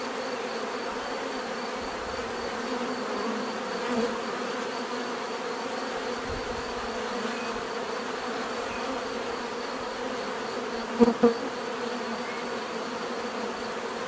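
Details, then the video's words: Continuous buzzing of many bees forms a constant droning backdrop; a single bee flies close twice near the end, giving two short louder buzzes over the massed hum. "bees therapy relaxing natural buzzing sound"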